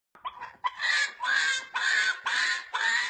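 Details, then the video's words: Puppies making funny pig-like noises indoors: a run of five harsh, squealing bursts, each about half a second long and coming in quick succession. "Cachorro Fazendo Barulho de Porco Muito Engraçado"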